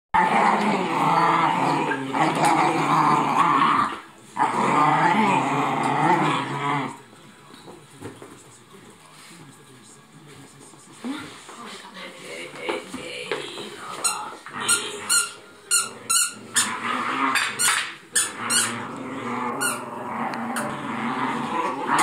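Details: Two Italian Greyhounds playing indoors: low, rough growling runs steadily for about seven seconds, then stops, leaving quiet rustling and a series of sharp clicks and taps.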